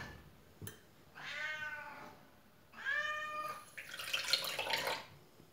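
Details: Faline, a pet cat indoors in a small room, trained to obey commands, gives two drawn-out, harmonic-rich meows of about a second each with a short pause between, followed by a breathy rushing noise.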